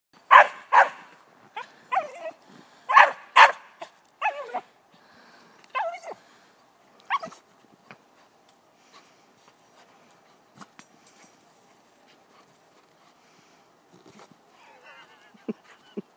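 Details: Pembroke Corgi Kirby and Golden Retriever Chloe playing tether ball in the snow. Sharp, excited barks come often in quick pairs through the first seven seconds, then the barking thins to scattered knocks, thuds and faint yips.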